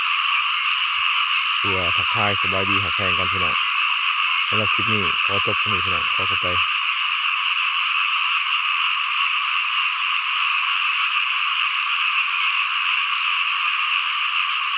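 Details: A rice field full of calling small frogs: a continuous high, buzzing chorus, with two clusters of fast, deep, harmonic croaks early on, then only the steady chorus for the remainder.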